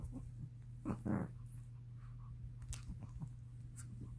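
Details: Chihuahua playing tug-of-war with a toy, letting out a short, low growling burst near the one-second mark, followed by softer rumbles and scuffling against a steady low hum.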